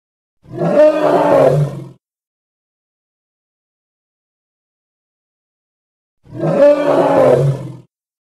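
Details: Hippo from Congo, edited recording: two matching rough, roaring calls about one and a half seconds each, harmonic and gravelly, separated by roughly four seconds of silence.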